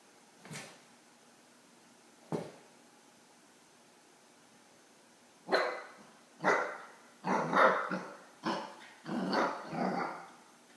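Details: An 8-week-old Akita puppy barks at a cat sitting on his crate, giving sharp, broadband barks, first spaced out, then in a quicker irregular run.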